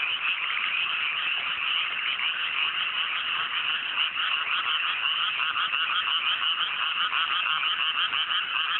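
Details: Massed frogs croaking on a clear night in chilly mountain paddies newly planted with rice, countryside; a loud, even, rattling chorus of rapid overlapping calls that never lets up.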